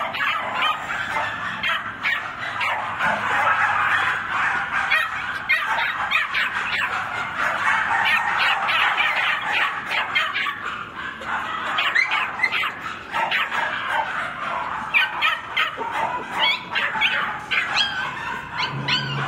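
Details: Male West Highland White Terrier at a kennel, recorded on 21 April: a steady stream of sharp, high yapping barks and yips, packed closely together and overlapping throughout, with brief whimpering notes mixed in.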